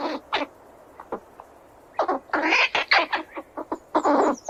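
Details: Squirrels squealing while running around: harsh, raspy bursts, first two short ones, a pause of over a second, then a dense run of rough squeals and chatters packed close together toward the end.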